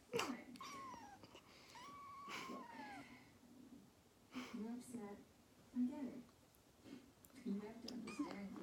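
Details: Kitten indoors in the Netherlands on a morning in September 2019, screaming at its owner for coffee foam; drawn-out, arching meows, then shorter chirping mews, with a person talking softly between them.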